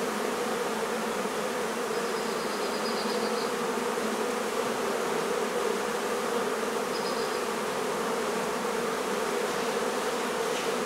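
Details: Dense humming of a honey bee hive being taken out of a barn in La Feria, Texas, steady buzz throughout with two brief faint high squeaks in the background.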